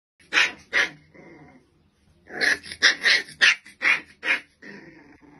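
A Rottweiler puppy gives a quick run of high, bright yips and small barks, unevenly spaced.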